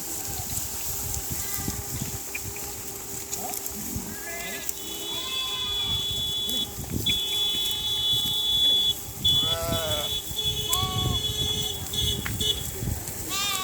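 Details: A flock of sheep (Ovis aries) grazing in a dry riverbed near a village bleat in wavering, nasal calls, with a steady high whine and faint voices behind.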